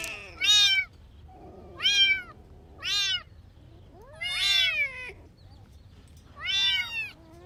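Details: Kittens stalking and chasing butterflies on the grass outdoors, giving five high, arched meows spaced roughly every second and a half, each rising then falling, with quiet pauses between calls.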